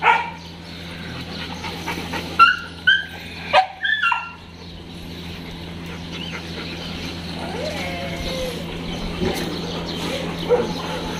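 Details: Dogs at a dog hostel in Jodhpur, recorded 5 May 2022: four sharp, loud barks in quick succession around the second to fourth second, then a long stretch of steady background hum and faint murmur without further barking.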